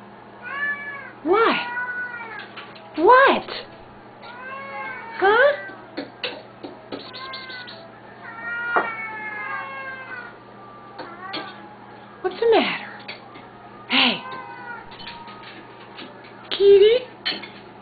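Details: Two hungry Siamese cats at feeding time give long, wavering, yowling meows that rise and fall, in bursts every couple of seconds with voices overlapping, while a person quietly talks to them in between.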